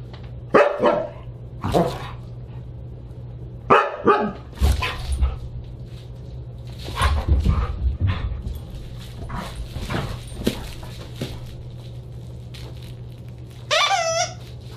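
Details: Siberian Huskies at a dinner party, December 29, 2022, giving a busy run of barks, yips and yowling calls, some overlapping, with clattering noise and a steady low hum beneath.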